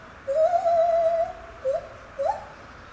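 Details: At Safaripark Beekse Bergen on 9 July 2021 a captive lar gibbon sings one long, slightly wavering hoot, followed by two short whoops that climb in pitch.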